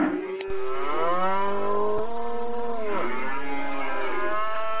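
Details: Lowing cattle (sapi), one drawn-out moo that begins with a click and swells into a rich, steady bellow, dipping slightly near the three-second mark before carrying on at a flat pitch to the end.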